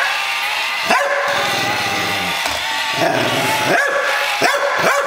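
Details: Playing against a Buzz Lightyear toy, the dog Mia keeps up a steady deep growl broken by short sharp barks near the start and several near the end.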